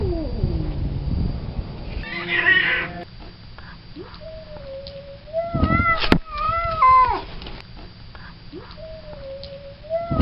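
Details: Male domestic cat in heat, moaning wildly for a fixed female: drawn-out, wavering howls with rising and falling pitch, several long tonal wails and a few harsher yowls, separated by quiet pauses, with faint background rumble.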